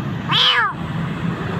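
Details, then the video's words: Street kitten in Jakarta, found nearly dying in a dark spot, lets out a single bright meow that arches up and slides down, followed by low rumbling background noise. "Anak kucing hampir mati ditempat gelap"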